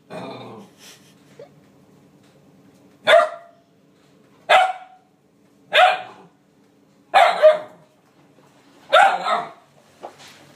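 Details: A 9-week-old male Alaskan Malamute puppy gives short, sharp barks, one every second or so, telling off cleaning appliances he seems to dislike.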